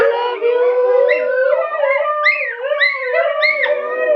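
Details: Huskies living with a Chihuahua howl together in a continuous chorus, with long sustained tones overlapped by higher wavering voices that slide up and down, unbroken for four seconds.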